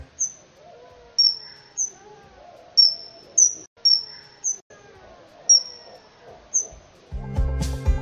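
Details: Bat echolocation from an evening forest, slowed down so it becomes audible, used for navigating in flight and hunting: short sharp downward-sweeping chirps, about one each second, over a quiet low murmur, with music breaking in at the end.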